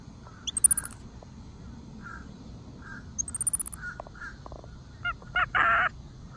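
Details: Monkey at Dade City's Wild Things chirping tweets: two bursts of very high, thin, rising chirps in quick rapid series, soft mid-pitched hoots between, then three loud harsh raspy calls near the end.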